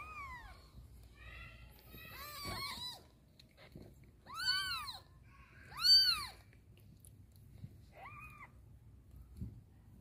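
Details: Pet mother cat failing to carry her baby kitten into a box: a falling meow, then several louder arched meows of varying length, the strongest near the middle, and a last shorter one, with light shuffling sounds.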